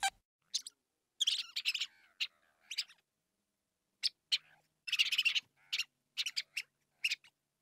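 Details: House mouse (Mus musculus) squeaking: short, high, scratchy chirps in scattered bursts, some single and some in quick clusters of four to six, with silent gaps between; no other sounds.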